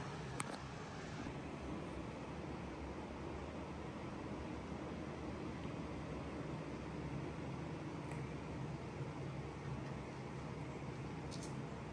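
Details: Steady low hum and hiss of indoor background noise with a few faint clicks, no animal voice.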